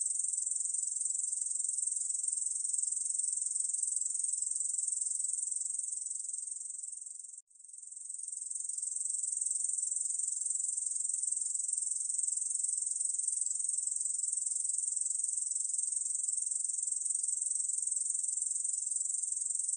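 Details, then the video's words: Korean bush cricket (중베짱이) song from the National Institute of Biological Resources, 2020: a continuous high, dry buzzing trill held steadily for about twenty seconds, broken only by one brief pause partway through, with no other sounds. "중베짱이, 여러번 듣기, 곤충소리"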